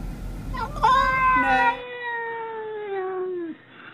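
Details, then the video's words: A cat making weird noises: a long drawn-out meow with strong harmonics, sliding slowly downward over about three seconds after a short burst of rougher sounds at the start. "Crazy Weird Cat Noises"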